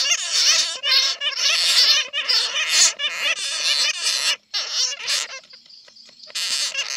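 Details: Lure sound of netted bats, meant to attract others: bursts of shrill, trilling squeaks and chatter from several animals, broken by brief silences, with a thin high tone near the end before the chatter resumes.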